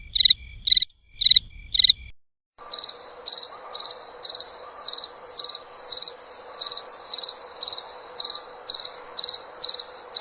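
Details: A few sharp cricket chirps, then a pause and a steady run of rapid pulsed chirps, each burst repeating about every half second, with a faint low hum underneath.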